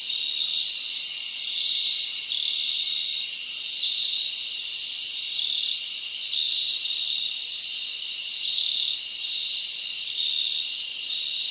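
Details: Crickets chirping at night in the forest in summer, a thick high-pitched buzzing chorus with short repeated chirp pulses and gentle rises and falls in volume.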